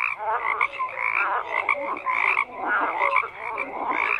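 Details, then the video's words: Frogs croaking at close range, loud bursts of raspy trilled calls in repeated swells about every half second, over a constant bed of other calling frogs. "FROGS CROAKING"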